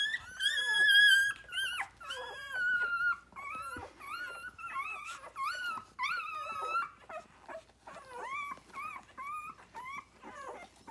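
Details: Loud six-day-old Rhodesian Ridgeback puppies nursing on their mother; strong, rich squeals open the clip, followed by a steady run of short arched whines roughly every half second.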